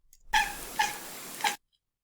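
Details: A domestic cat gives three short, high, prey-directed hunting chirps about half a second apart, each a quick bright note over a steady breathy hiss.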